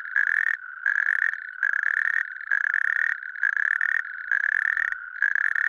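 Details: A natterjack toad (Epidalea calamita) in Lääneranna parish, Pärnu county, Estonia, gives loud, rasping rattled trills, each burst under a second, repeated almost without pause.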